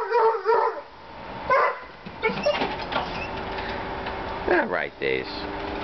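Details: Several pet dogs playing together on deck steps: sharp barks and yips in bursts, some rising whines near the end, with a man's voice and steady background hum.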